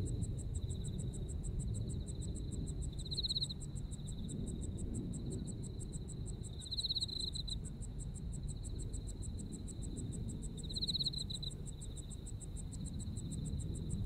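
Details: Japanese autumn insect voices: rapid regular high pulses run throughout above a sustained shrill trill that grows louder in three short bursts, roughly every four seconds, against a low steady background hum.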